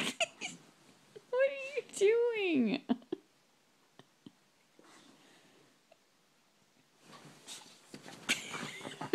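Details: Rosie, a pet dog, makes funny noises while waking up indoors: a wavering, arching whine-howl that rises and then slides down, followed by quiet and then a person's voice.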